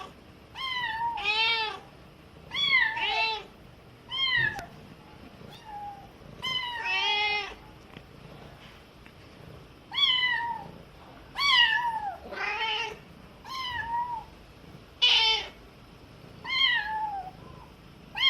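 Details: Baby cat crying during lessons from its mother, who answers in the middle; frequent bright harmonic meows, short and sometimes wavering, in bursts across eighteen seconds indoors.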